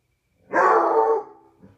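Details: A Basset Hound on a patio at night gives a brief, full-throated howl that swells quickly and then trails off.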